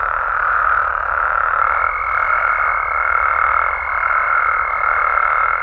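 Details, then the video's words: Night chorus of frogs and toads in Mexican amphibian habitat, a continuous droning wash of calls joined partway through by a higher, thin whistled note that holds to the end. "Mexican Frogs & Toads Sounds"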